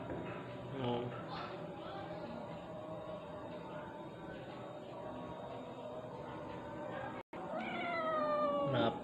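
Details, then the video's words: Domestic village cat, a black cat wanting to come into the house, possibly hungry, meowing in a drawn-out rising and falling call near the end, with people talking to it in Indonesian and household background noise. "si black ingin masuk ke dalam rumah"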